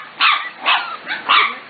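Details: Corgi puppies five to six weeks old, from the Katie, Emma and Annie litters, give four high-pitched yapping barks in quick succession, roughly every half second, over a steady background hiss.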